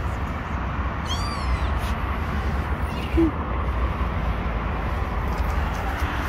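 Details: A single sharp, high-pitched meow, rising then falling, from kittens hiding under rocks. It stands out against a continuous low rumble, followed by a brief soft thud.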